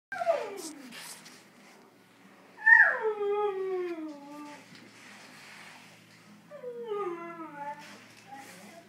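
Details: Female dog loose indoors after getting out of her cage, giving three long whining howls that slide downward in pitch, with a soft whimper before them and quiet gaps between.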